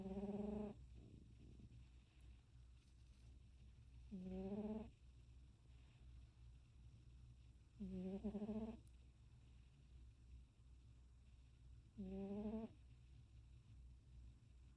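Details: Cat snoring: four short, tonal, rasping snores come about every four seconds, each under a second and slightly rising at the end, over a steady low hum.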